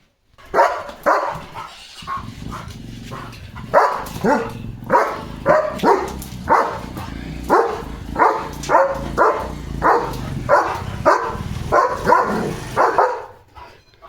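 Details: German Shepherd barking fiercely on evening guard duty at a farm, protecting his area: a long steady run of about twenty loud, rough barks, roughly one every half second to second, over a low background hum.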